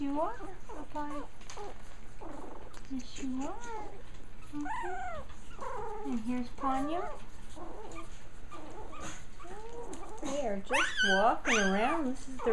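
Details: Japanese Chin puppy litter exploring the ground for the first time: rapid, overlapping whiny squeals with curved, wavering pitch, louder and denser near the end, against constant low background hum.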